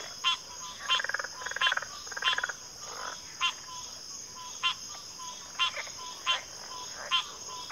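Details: Frogs in a wetland chorus: a few rattling, pulsed croaks early on, then isolated sharp clicks spaced about a second apart, with a steady high insect whine throughout.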